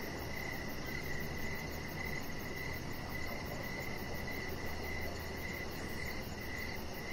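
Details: Crickets calling outside on an evening deck: a thin, high, continuous chirping trill, slightly fainter and blurred, set against a persistent low ambient hum.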